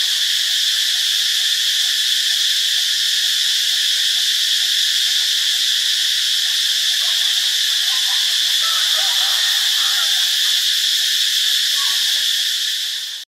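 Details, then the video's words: Cicada chorus in Ubon Ratchathani, Thailand, on Monday, March 15: an unbroken, intense, high buzzing hum at constant loudness that cuts off abruptly at the very end. "เสียงจักจั่น (Cicadidae)"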